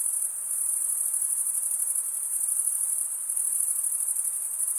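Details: Crickets, the males chirping by stridulation with their wings. They produce an unbroken, piercing high trill with a slight pulsing shimmer over a low, quiet hiss. No other sounds intrude.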